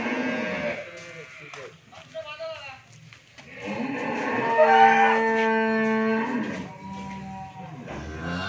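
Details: Friesian cow, first-calver with a bull calf, at a dairy farm in Bhangura, Pabna, Bangladesh; people talk early on, then a long, steady, flat-pitched moo holds for nearly two seconds before more voices.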